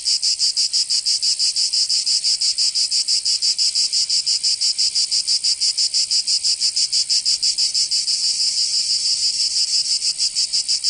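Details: Provence cicadas in summer, southern France, producing a relentless high-pitched buzzing song in rapid even pulses, about three per second, swelling slightly near the end; nothing else audible.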